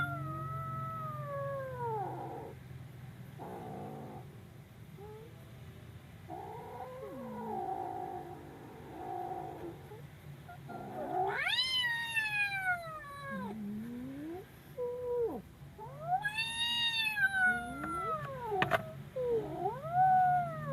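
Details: Frightened kitten producing a series of varied wails, arching up and down, growing louder and higher in the second half with sharp rising cries separated by brief pauses; low hum underneath.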